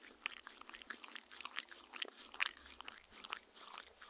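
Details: Close lapping by Mindy the dog at her fancy drinking glass, recorded indoors on a Tascam R-40: distinct wet clicks roughly four or five per second, with a few louder slurps.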